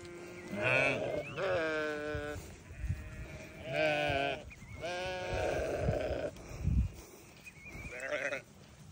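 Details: Newborn lambs bleat in shaky, harmonic calls of about a second each, several in a row with short pauses, one rising sharply near the start, over low steady background noise.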